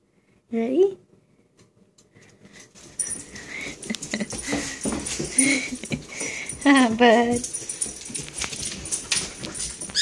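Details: A Dobermann waiting for someone gives a short, high, rising whine, then whines again amid voices and household noise.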